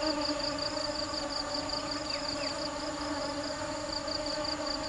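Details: Hard-working bees seeking sweet nectar make a continuous humming drone with stacked tones; a fast, high pulsing insect trill runs over it, with faint chirps near the middle.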